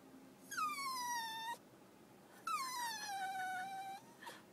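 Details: Dog crying: two long, high, whistling whines, each starting high and sliding gradually downward over about a second, separated by a short pause, with a brief third cry starting at the end.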